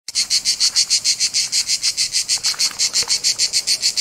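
A cicada's shrill, high-pitched buzz throbs in rapid, even pulses, roughly seven each second. The rasping rhythm holds steady throughout, with nothing else audible behind it.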